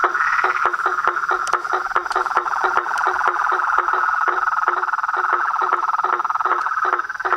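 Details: Chorus of toads and frogs at a pond in front of a house in the evening at nightfall, animals undisturbed by torchlight; dense steady trilling band with sharp clicking notes repeating more than twice a second over it.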